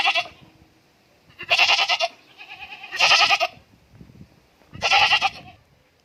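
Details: Goat bleating at a farm in Indore: four loud, tremulous, nasal cries about every one and a half seconds, with faint shuffling noises in between.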